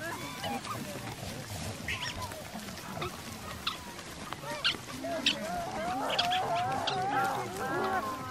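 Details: A habituated troop of geladas (Theropithecus gelada) feeds in a field in Simien Mountains National Park, Ethiopia, chattering with overlapping nasal, wavering grunts and honk-like calls.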